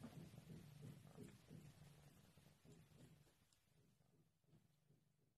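A Maine Coon cat purrs, a low steady rumble pulsing about three times a second.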